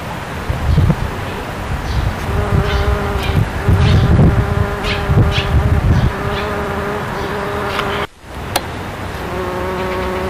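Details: Bombus ignitus bumblebee feeding on azalea nectar, recorded in May 2012: a steady low droning hum with faint harmonic bands, continuous throughout, with a brief dropout near the end before the buzz resumes.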